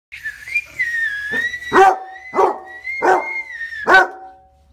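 A Basset Hound gives a handful of deep, rough barks over a steady high whistle.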